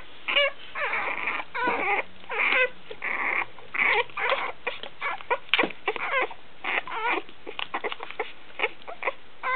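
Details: One-week-old Basenji puppies feeding on milk, giving a dense run of high, whining squeals and whimpers, many overlapping, in short bursts with brief gaps, some rising and falling, nearly continuous throughout.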